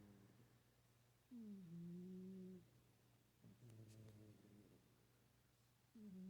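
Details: Sleeping house cat Winston snoring quietly; drawn-out, slightly falling nasal tones in soft breaths, a pause between, over a constant low electrical hum in a small room.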